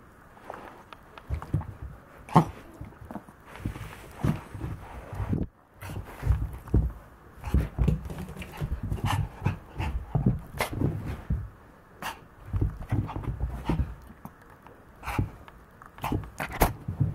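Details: Maltese dog at play, breathing in rapid rhythmic pants with occasional snorts and small whimpers, steady throughout with a brief pause near five seconds.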